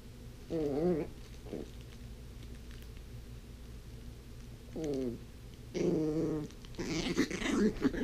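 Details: Blind female puppy playing with her toys indoors; short wavering whimpers and whines in two bursts, then rustling and clattering of toys being chewed and tossed.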